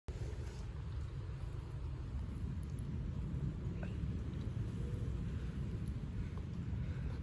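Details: Low continuous rumble of a car or engine with faint outdoor background noise and a few soft clicks.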